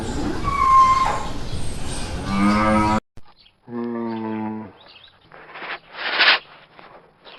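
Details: Cow heard in a noisy stretch with a rough rising lowing. After a short break comes a steady, low, clean moo lasting over a second. Scattered breathy and rustling noise bursts follow.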